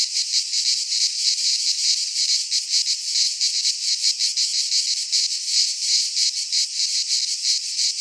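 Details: Many cicadas sing in a Greek pine forest at midsummer, their shrill buzzing forming a steady wall of sound that pulses rapidly, with no birds, wind or voices.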